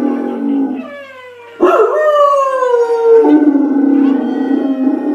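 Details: Dog howling: a low wavering tone first, then a loud onset into a long howl that falls gradually in pitch, followed by a lower, rougher sustained note.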